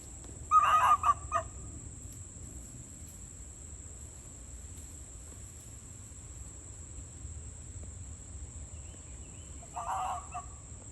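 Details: A wild fox circling a person servicing a trail camera, coming too close, gives a quick run of harsh, hoarse barks, then one more short bout after a pause.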